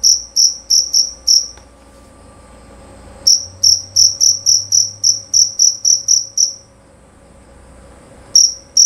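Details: Male jerabang cricket, loud and clear, sings short high chirping runs separated by pauses: a few pulses, a quiet spell, a longer rapid series, another silence, then chirping starting again.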